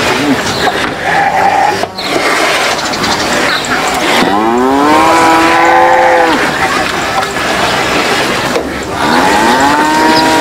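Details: Cattle squabbling over food: a brief low grunt, then a sustained two-second moo that rises and levels, and another starting near the end, over steady background noise.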